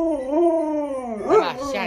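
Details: Lolo, a pet Alaskan Malamute kept indoors at home, gives a sustained, wavering howl holding a steady mid pitch for over a second before breaking into a brief rising yelp, with a person's voice joining at the end.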